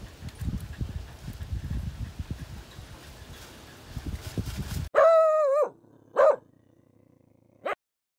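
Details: A 2-week-old Siberian Husky puppy crying: after some rustling and handling noise, one loud wavering wail with a falling-rising pitch, followed by two shorter sharp cries separated by quiet.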